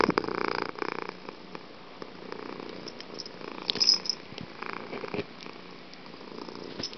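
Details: Loud purring from Fuji the cat in a small room, a rough rhythmic rumble strongest in the first second, then softer pulses with a brief brighter click near four seconds.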